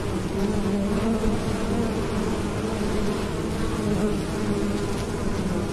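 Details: Bees hum steadily on a farm in the Cambodian countryside, a low droning buzz that swells and fades as they fly close by.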